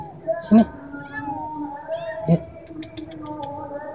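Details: Kitten, a village cat, stuck after falling into a hole, giving short plaintive meows, one near the half-second mark and another around two and a third seconds, over faint background noise and clicks.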